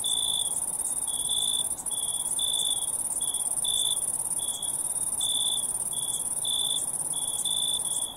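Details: Night chorus of crickets: high, pulsed chirps of uneven length, some short, some drawn out, following one another rapidly above a constant piercing high-pitched trill.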